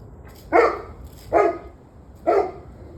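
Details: Dog barking on 21 November 2023 at 7:06 pm: three loud, sharp barks spaced about a second apart, each a short harsh burst, over a quiet low background hum.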